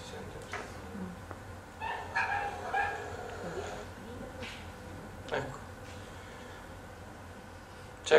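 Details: In southern Italy, stray puppies not socialized with people give a few sharp, high barks and yips as people approach, over faint room noise.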